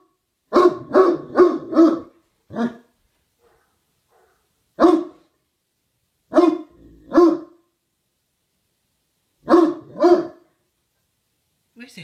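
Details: A dog barks repeatedly in a twilight bark that comes a few hours too early: a quick burst of four barks, then single barks and pairs spaced a few seconds apart, with quiet gaps between.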